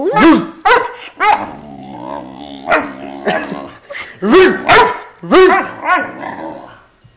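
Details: Great Dane puppy Phantom, 11 weeks old, in a tantrum on the couch: shrill arching barks mixed with throaty growls and groans, coming in uneven clusters one after another.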